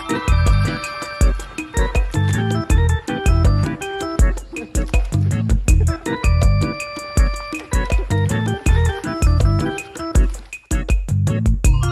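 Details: Playful comedic music with plucked notes and a thumping bass line fills the stretch, with no clear animal sound.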